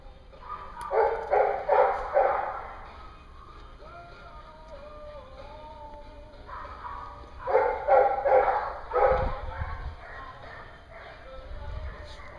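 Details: Dog at a dog daycare in Hooksett, New Hampshire, barking in loud bursts: a run of rough barks early on and another cluster about six seconds later, with thin wavering whines between them over a steady background hum.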